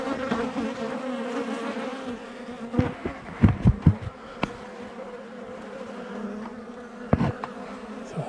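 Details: Honey bees droning during a cutout of a two-year-old hive from an 1850 house wall; continuous low buzzing hum with layered harmonics, broken by sharp knocks and scraping of tools on wood.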